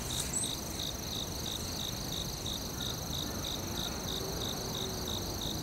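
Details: Cricket in a forest chirping steadily, short pulsed chirps about three per second, over a continuous high whine from other insects and a low rumbling background hiss.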